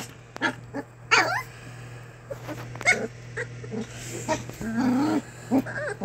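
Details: Young English Springer Spaniel puppies, a litter of three named Hagrid, Luna and Bellatrix, give wavering whines and soft growls, some squeals sliding up and down, with a constant low background hum.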